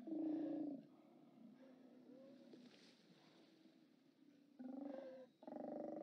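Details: Steller sea lions at a haulout on a live cam, 29 October 2017; one loud guttural roar opens, a stretch of quieter moaning groans follows, then two more hoarse roars close the sequence.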